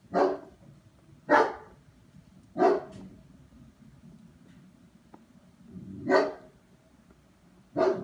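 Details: German Shepherd barking in a test session: strong, deep single barks spaced about a second or more apart, with quiet gaps and faint background hum between them.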